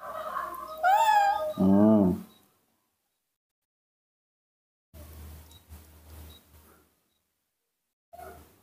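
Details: Baby monkey being hand-reared, calling and giving small screams while eager to drink milk: a high wavering squeal sliding upward, then a lower warbling cry, about two seconds in all, followed by silence and faint low rumbling.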